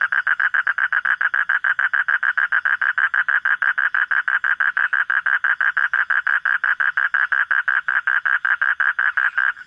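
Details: Frog at night, encountered on a nocturnal frog hunt: long, regular sequence of rapid mid-pitched pulsed notes, around five per second, holding a constant loud level for nearly ten seconds before a brief change at the end.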